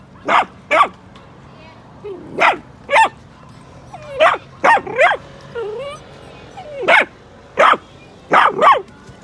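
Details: Miniature Dachshund barking in response to dog sounds from the TV or outside. Short, sharp barks come in pairs and singles at irregular intervals over a steady low background hum, with a few softer whiny yips between.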